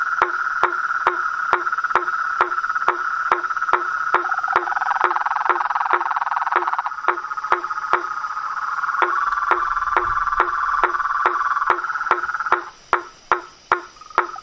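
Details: Night chorus of frogs, toads and treefrogs: steady clicking knocks about twice a second over a buzzing, pulsed trill that shifts in pitch midway, fades after twelve seconds, leaving isolated knocks.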